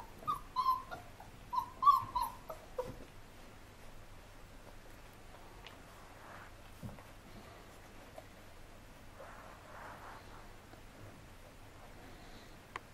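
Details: Hovawart puppies Dusto, Delano and Denzo playing outdoors: a quick cluster of high, thin whimpers and yips during the first three seconds, then near quiet with soft rustling, a faint low hum and an occasional tap.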